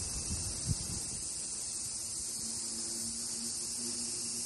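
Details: A steady, high, hissing drone of cicadas singing together, with no breaks or pulses, at Fukuoka Castle Ruins, Japan, in summer on 16 July 2023.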